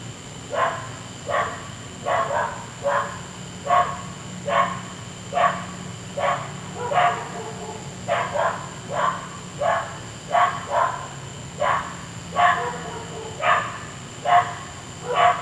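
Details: Neighbours' dog barking on and on at night, heard for an hour; a long, fairly steady run of sharp barks, about one every second, over a low continuous hum and a faint high electrical tone.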